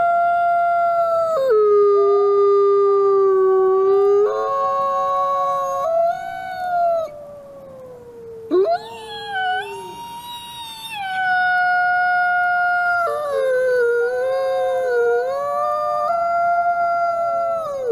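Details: A captive-born male gray wolf, one of the ambassador wolves at a wolf conservation centre in South Salem, New York, howls in long, gliding tones; several voices overlap in a wavering chorus. Gray wolf.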